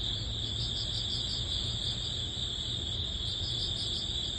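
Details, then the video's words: Crickets and other grass bugs crying in early autumn as summer ends: overlapping high, rapidly pulsing chirps form an unbroken shimmering band, with a faint low hum underneath. "여름의 끝자락 초가을 풀벌레_ 백색소음_ Cricket sound"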